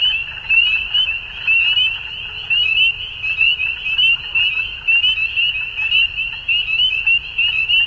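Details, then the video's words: At dusk, many frogs keep up a high, buzzy chirping chorus that pulses roughly once per second, individual trilled notes blurring into a constant ringing band above a quiet low rumble. "Frogs At Dusk"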